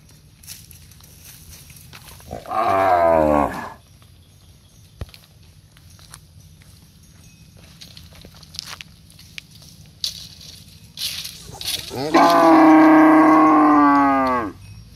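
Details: Cows standing in a row give two long, deep moos, the second louder and drawn out with a falling end.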